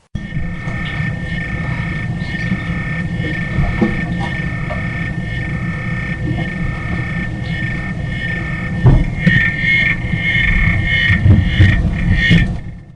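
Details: A male pet African clawed frog raised from a tadpole sings an underwater trill of rapid low clicks in his tank when he spots his owner, hoping for a treat; other faint sounds are him moving around the tank.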